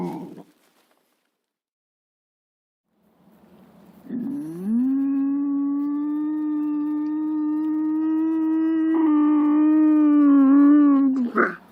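A lynx gives a long, drawn-out moaning call that rises, then holds steady and rich in overtones.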